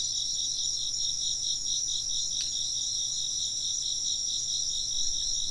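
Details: Chirping insects in a steady chorus: two high, shrill, pulsing trills overlap without pause, with a brief faint clink partway through.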